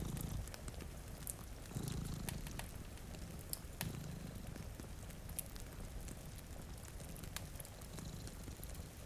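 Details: Two cats sleeping in front of a rainy window beside a cozy fire, purring in low, throbbing pulses over steady rain hiss, with sharp fireplace crackles popping throughout.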